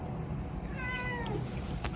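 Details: Male British Shorthair cat named Sobbang, born June 18, 2022, meowing indoors while treats are nearby: one clear, drawn-out meow with steady tones that dip slightly at the end, over a low room hum.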